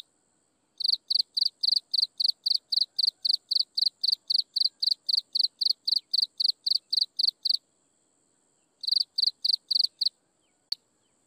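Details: Chirping insects at sunset: a long run of crisp, high, rhythmic chirps for about seven seconds, a pause, then a shorter burst and a final lone click, with a faint constant high tone beneath.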